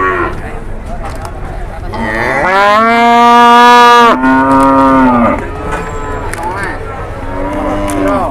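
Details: Enraged cow at an Indonesian cattle trade, charging after people during negotiation; one long, loud, strained moo of about three seconds dominates, then trails off, with people talking around it.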